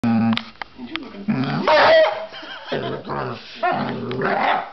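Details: A male basset hound, vocal when he plays, grumbles and moans in low, drawn-out growly vocalizations while a person talks.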